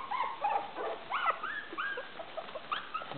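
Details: Maltese puppies 24 days old, five littermates playing together indoors; dense high squeaky whines and yelps, arched rising-falling notes overlapping almost continuously.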